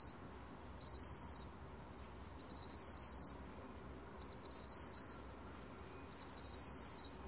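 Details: Black cricket (먹귀뚜라미), 2020: repeated high, buzzy trills near a second long, several prefaced by three or four clipped pulses, returning about every two seconds against a soft steady background.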